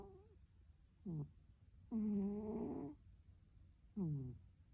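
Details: Sleeping domestic cat snoring: three low, nasal, tonal snores, the middle one a drawn-out second-long breath, the others short and slightly falling, separated by quiet pauses.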